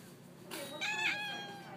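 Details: Pet store cat uttering a short, breathy meow that brightens and rises briefly in the middle, amid soft indoor background noise and a person talking to it.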